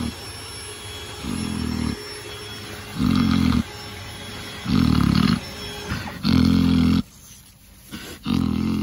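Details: Domestic pig drifting off to sleep while being scratched. Low, rough snoring grunts come in about five half-second bursts, spaced roughly every 1.3 seconds, with quiet pauses between.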